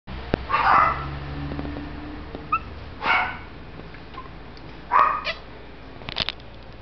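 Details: Male Shih Tzu puppy born in November 2011 at a kennel, giving three short, breathy yips spaced about two seconds apart, with faint clicks and light room noise between them.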